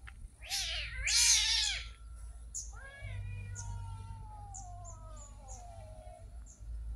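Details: Street cat giving a short, loud, harsh meow, then after a pause a long drawn-out meow that slides slowly downward in pitch for about three seconds, with faint clicks and a low steady hum behind.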